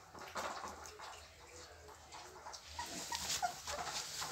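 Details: Pit Bull puppies, 24 days old, still only nursing and already playing together; faint short whimpering squeaks, mostly in the second half, over steady rustling and shuffling noise.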